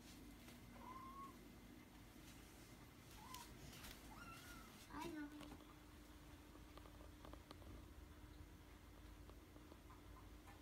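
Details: Kitten being petted on the forehead gives several small, quiet mews in a soft voice, short rising-and-falling cries spaced over the first five seconds, then a low steady hum and faint rustling continue.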